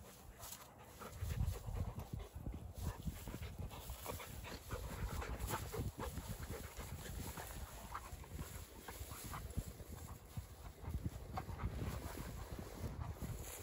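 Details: Pair of Dogo Argentinos at play outside: a steady run of low, huffing breaths and scuffling, dense and continuous, with a slightly louder burst of puffing near the start.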